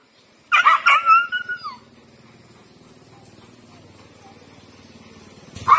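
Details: A big street dog pursues Lucky, a female pet dog who does not like him: a quick burst of sharp barks and yelps, then a falling whine, followed by near silence and a final short yelp.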